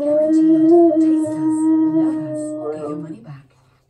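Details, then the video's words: Siberian Husky Key, kept indoors, singing along to TV adverts, especially ones for cleaning products. A sustained, wavering howled tone with rich harmonics lasts about three seconds and then fades, over lower, stepping TV voices or music. "Husky Watches TV And Sings To Adverts"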